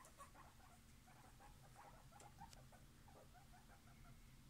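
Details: Guinea pigs living together as a family, giving soft, short squeaky chirps at a middle pitch, scattered irregularly across a few seconds over a low, steady background hum with faint rustling.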